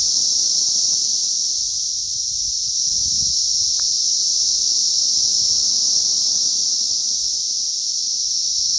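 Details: Emerging cicadas in great numbers, May 20th 2034: a constant piercing electric-sounding hum fills the air without pause, with one brief faint click and soft low rumbling underneath.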